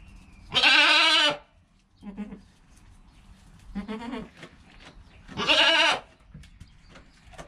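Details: Goat kid within its first hour of life bleating beside its mother, two loud wavering bleats about five seconds apart with softer low murmurs in between.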